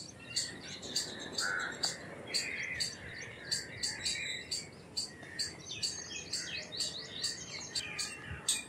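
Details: Indian palm squirrel chipping with high, staccato notes in a quick series, mixed with prominent lower whistled and warbling bird calls around it.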